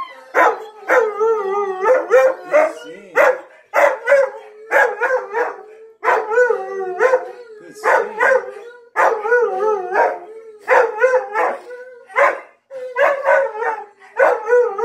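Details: Siberian husky Onyx, prompted by clips of Tonka the Malamute and Monroe the Husky, keeps up a long run of warbling, rising-and-falling howls in choppy groups of two to four syllables, with almost no gaps.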